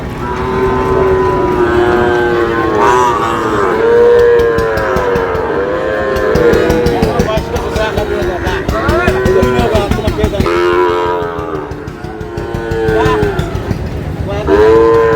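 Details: Sahiwal bull calves being bought by a farmer from Noakhali, Bangladesh: several overlapping rising-and-falling moos follow one another in a crowded, noisy setting, with engine noise and shouting people throughout.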